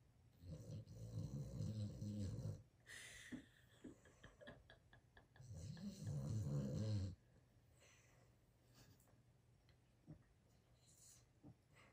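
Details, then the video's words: Sleeping Boston terrier snoring loudly: two long, rumbling, deep snores of about two seconds each, with a pulsing, vibrating texture, separated by a quieter pause with faint soft clicks. "the Boston terrier can really snore"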